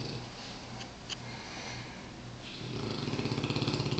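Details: A sleeping Mastiff named Champ, a rescue dog, in 2007. His soft, droning snore gives way to a faster, buzzy series of rasping pulses that grows slightly louder.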